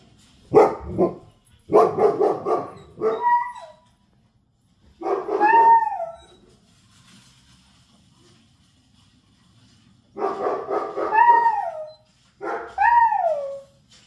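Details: Aslan the Kangal gives deep barks in quick bursts, and a German Shepherd reacting to the barking answers with drawn-out, bending whines.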